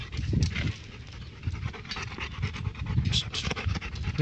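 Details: Labrador Retriever facing a stray dog; rough breathy panting in irregular bursts, low and noisy, with no clear barks heard.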